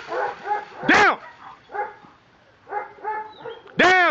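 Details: Ricon, a German Shepherd police dog in Miami K9 Enforcement aggression control training, gives two loud, sharp barks about three seconds apart, separated by softer voiced sounds while a handler shouts commands such as "Down".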